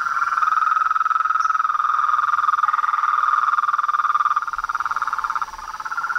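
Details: Evening chorus of frogs and toads at a pond facing a veranda, animals not fleeing under a light: steady rapid croaking trill forming a continuous buzzing band, pulsing more distinctly near the end.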